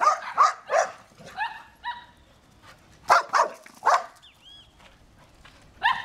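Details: Cocker Spaniel named Cookie, urged to call another dog, Ferinha, answers with a talking-style howl, a run of short vocal "au-au-au" notes. These give way to drawn-out tonal wails, then more clipped yelps.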